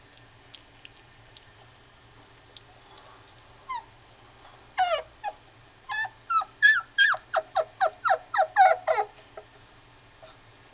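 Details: Female dog at the Inu no Ie pet shop in Kuwana, giving a quick run of high, sharply falling yelps and whimpers that start hesitantly, then come densely about three per second before stopping, with faint room noise behind.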